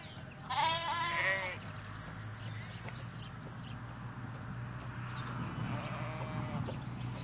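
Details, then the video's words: Ewes and lambs in a Hampshire countryside field, stereo recording from beside a hedge away from the road: one loud wavering bleat near the start, then fainter bleats farther off over a steady low hum and distant bird chirps. "Sheep Field - One Hour Sound and Video"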